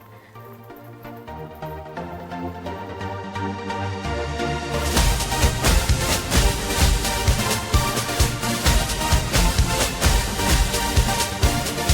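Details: Electronic dance music with a steady driving beat that swells and grows louder partway through; no animal sounds.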